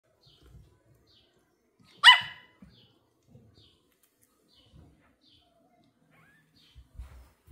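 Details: Pomeranian puppy barking with excitement on meeting new kittens for the first time: a single sharp, high bark in a quiet room, with faint soft rustling before and after.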